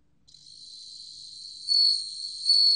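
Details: Bell cricket, 2020 recording from Korea's National Institute of Biological Resources: a high sustained ringing trill fades in, then two louder bell-like surges arrive about 0.8 seconds apart against otherwise quiet background.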